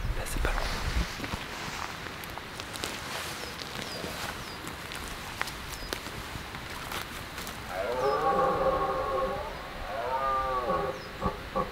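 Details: Red deer stag bellowing during the rut high in the mountains: after about eight seconds of rustling, footsteps and soft handling noise, a loud, drawn-out, harmonically rich roaring bellow rises and falls, then a shorter second bellow follows.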